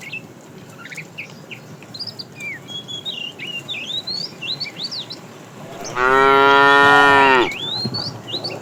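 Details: Tame cow being herded to green grassy pasture in the morning gives one loud, long, level moo of about a second and a half, after several seconds of busy chirping birdsong that continues around it.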